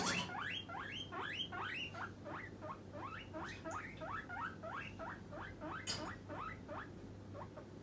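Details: Guinea pig kept as a pet, calling insistently for food before treat time: a steady stream of short high wheeks, each sweeping upward, about three per second, over a low electrical hum, with one sharp clatter midway.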